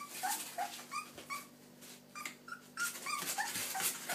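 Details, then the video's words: Springer Spaniel puppy barking in high, thin yips and squeaky whimpers, short tonal notes repeated about three times a second with brief pauses, some notes sliding upward, against a faint steady hum. "Springer spaniel puppy cute barking baby"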